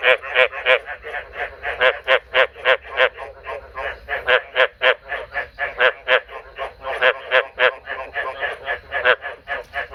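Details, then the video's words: Captive-bred male frog calling at night: a rapid, steady train of short clicking croaks, about three or four per second, continuing unbroken throughout. "This is the sound of the male frog I bred last night."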